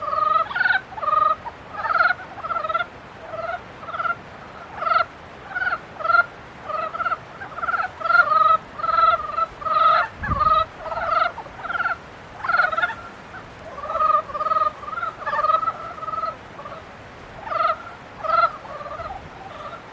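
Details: Frog chorus in breeding season: steady, rhythmic nasal croaks repeated several times per second by multiple callers, forming a continuous pulsing chorus with one low thump near the middle.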